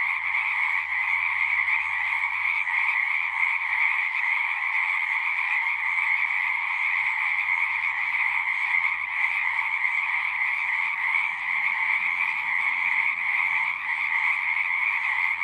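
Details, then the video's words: Singing frogs in a thick nonstop chorus, overlapping rapid trills forming a steady buzzing drone, high and even, with a weaker lower band and a soft low hum fading partway through. "One hour of singing frogs."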